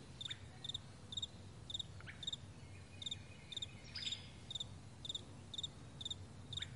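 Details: Crickets on a morning meadow produce sharp, high chirps about twice per second, evenly spaced, with a couple of faint downward-sliding bird notes and a quiet low hum.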